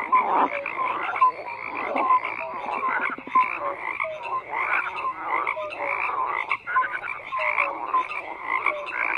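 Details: Frogs croaking in a busy chorus: rough pulsed calls layered with short falling chirps, one rattling trill near the middle, sound never letting up.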